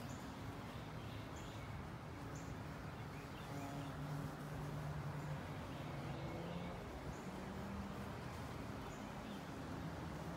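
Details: Carpenter bee in flight, investigating the area around a carpenter bee trap. Its low droning hum wavers and shifts in pitch as it moves, over a steady background hiss with faint, scattered high bird chirps.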